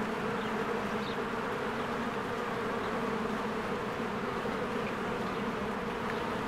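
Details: Honeybees flying around their cozy hive as spring flowers bloom, a constant rich humming buzz, steady loudness, with several short faint bird chirps scattered through.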